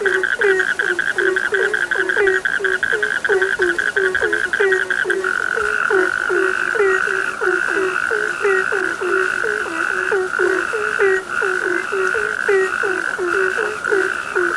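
A chorus of frogs croaking in quick, overlapping bursts, with a steady high insect-like trill behind.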